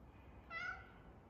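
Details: A tabby cat gives a single short, soft meow with a steady harmonic pitch and a slight rise and fall, heard over a low background hiss.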